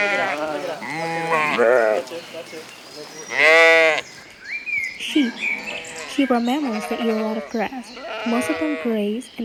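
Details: Sheep. Sheep bleat in loud, quavering, nasal bursts over the first few seconds, each cry rising and falling. A narrator's voice takes over for the rest of the recording.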